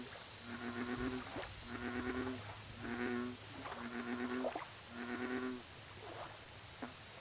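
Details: Lakeside American bullfrog calling in a run of about six low, harmonic, throbbing notes, each close on the last, while insects keep up a rapid, pulsing high chirp throughout.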